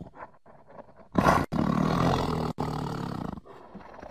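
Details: Tiger roaring: one long, harsh, rumbling roar with deep low tones, cut by two brief breaks, rising loud after a quieter opening of soft grunts and fading back to low huffs.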